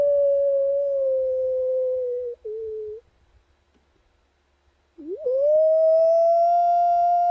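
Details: Two howls from wild dogs at a camp: a level, slowly falling tone ending in a wavering tail, about two seconds of silence, then a new howl swooping upward into a long, steady, clear note.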